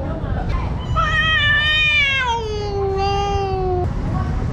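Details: Street cat, a mother caring for her kitten, during a fight with another cat: one long drawn-out meow that rises then slowly falls into a low moan over about three seconds, with a rich harmonic tone over a steady low background rumble.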